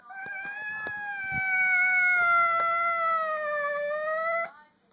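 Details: Cat meeting another household cat for the first time produces a long, drawn-out moaning yowl that sags slowly in pitch then lifts at the end, over light tapping and rustling noises.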